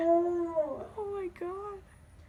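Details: Dog howl trailing off into short wavering, descending whimpered notes, tonal and mournful, fading toward the end, with low background rumble.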